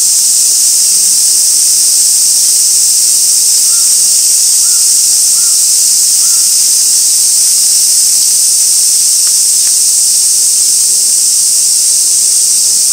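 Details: Cicadas singing at Gaikotsu-yama, Japan, 2 August 2024, fixed camera by an ancient sawtooth oak: an unbroken shrill drone, with a few faint short chirps from another creature around the middle.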